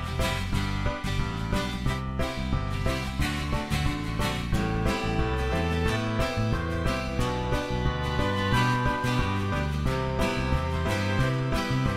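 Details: Upbeat guitar-led background music plays throughout with a steady beat, and no animal voice can be picked out.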